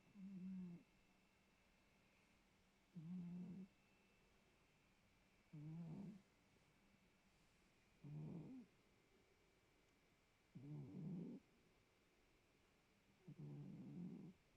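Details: Pet cat snoring indoors, low buzzy rasping breaths repeated about every two and a half seconds, six even rumbles, each with a slightly rising rough edge, otherwise quiet room.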